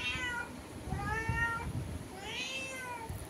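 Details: Cat sitting at a window calling to another cat outside, making three rising-then-falling meows spaced about a second apart over quiet indoor background noise.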